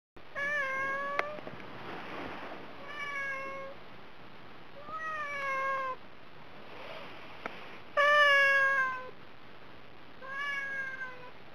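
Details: Domestic cat on a diet meowing again and again for food: five drawn-out, tonal meows, each about a second long, some rising then falling, separated by short quiet gaps in a quiet indoor setting.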